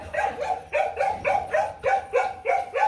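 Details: Female Mong Coc dog, brought down from the highlands to a lowland Vietnamese kennel, barking insistently to demand, not to threaten: evenly paced, rising-onset barks repeated about three times a second, with steady background noise.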